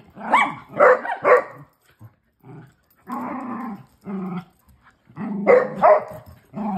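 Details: During play with her big sister and brothers, Shelby, a female Basset Hound, mixes quick yappy barks with low rumbling growls, bursts separated by short gaps and a longer growling stretch in the middle.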